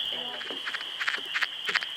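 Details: Wood frog held in hand in Michigan during the short spring breeding season, giving its panic call. This warning call differs from its mating call and is given when it thinks a predator has caught it. Short rasping pulses come about three times a second over a steady high whine.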